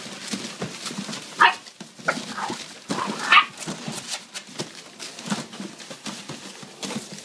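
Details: Playing puppies giving short yelping barks, the loudest bursts near 1.5 and 3.3 seconds, among scuffling, panting noises and irregular softer yips throughout.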